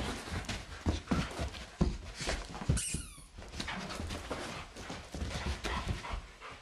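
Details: German Shepherd Blondi and Doberman Sugar Tree wrestling energetically in a living room in April, sheep Dasher and Edie looking on; rough panting and scuffling bursts with thumps, broken by one brief high, wavering squeal.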